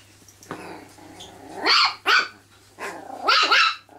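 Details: Chihuahua at home giving a faint growl followed by three loud, high, sharp barks, the last a doubled yap, with short pauses between.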